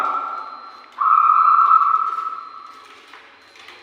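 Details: A steady, flat mid-pitched tone holds for about two seconds over a faint constant high whine, with no animal voice.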